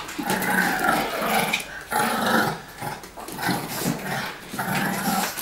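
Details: Playful dog growls from Lilly and Tomy, two dogs at play while Lilly tries to snatch a ball from her owner; the older, larger Tomy tires sooner. Rough, throaty growls come in bursts of about a second, broken by short pauses.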